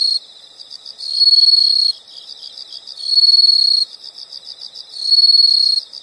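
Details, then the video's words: Steady insect chorus with a loud, high, buzzy trill lasting under a second and returning about every two seconds over quieter rhythmic pulses; nothing else audible. "the sound of insects"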